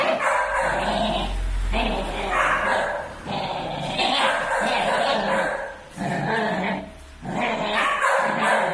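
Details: Fighting Pit Bull Terrier puppies, six months old, village dogs: rhythmic, throaty snarling barks in roughly one-second pulses, with a low rumble beneath at the start.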